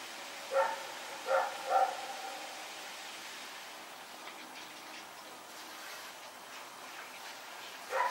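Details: Nighttime barking from Rex, a dog running around, September 21, 2018: three sharp barks in quick succession at the start, several seconds of low hiss, then one more bark at the close.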